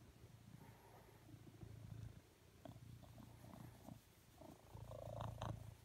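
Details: A male blue British Shorthair cat lying next to his owner on a sofa and seeking cuddles purrs softly; a quiet low rumble rises and falls with each breath, with light rustling near the end.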